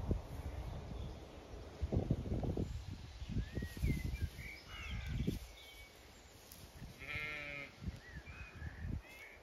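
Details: Zwartbles ewes and fast-growing lambs on a regenerative farm in County Kilkenny, Ireland, on a hot May day, some resting in shade, others grazing or heading for water; one short wavering bleat late on, amid small bird chirps and low thudding rustles.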